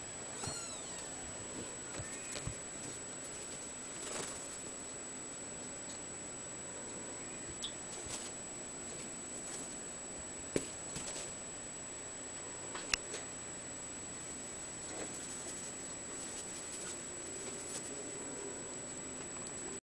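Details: Five-week-old male Ragdoll kitten, blue point mitted, kept at a cattery: a brief high mewing cry at the very start, then scattered soft clicks and taps with a steady hiss throughout.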